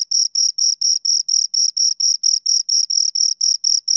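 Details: Two crickets producing high, clear chirps in a rapid even rhythm, a little over four pulses per second, with no background noise.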